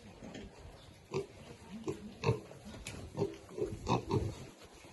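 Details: Baby pigs at a meal, uttering soft, nasal grunts that repeat irregularly about every half second, mixed with faint clicking and shuffling feeding noises.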